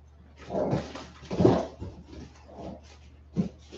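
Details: Westie puppies aged 47 days make rough, low, breathy grunting and whimpering noises, swelling and fading in short bursts over a steady low hum.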